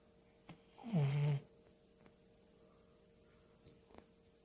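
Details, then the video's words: A sleeping dog gives one low, rasping snore lasting about half a second, a rumbling breath with a faint buzzy overtone, followed by quiet room silence with a few soft clicks. "강아지 코골이"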